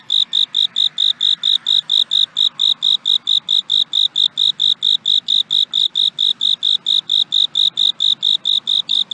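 A cricket chirps steadily, giving short, clear, high-pitched pulses about three times a second.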